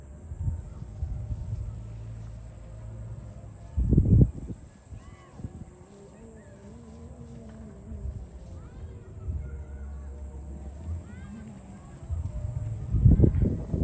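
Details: Farm cows being herded to the barn; one long, low, drawn-out moo that swells and then sags over about three seconds, framed by heavy thumps and bumps, with a steady low rumble and faint voices in the background.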